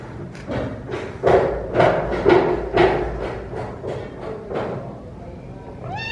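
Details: Rescued kittens mewing while eating, a run of rapid broadband bursts about twice a second with a few clearer mews, ending in a short high rising mew with stacked harmonics.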